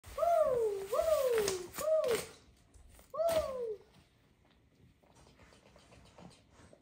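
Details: Shih Tzu dogs on Vancouver's first snow day of 2022, which came earlier than usual, on slippery, crunchy frozen snow. Three drawn-out falling whines in quick succession, then a fourth after a short pause, followed by quiet room sounds and faint speech.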